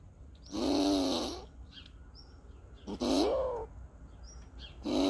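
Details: An agitated squirrel in Borken-Singlis, Germany, on August 20, 2021 makes defensive noises: harsh, rasping moans about a second long, repeated every couple of seconds.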